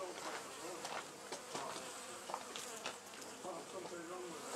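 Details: Honey bees from a wild colony that built its hive inside an old storage box at the Anson Engine Museum, heard as a close, busy swarm drone with individual buzzes sliding up and down in pitch and brief louder fly-bys.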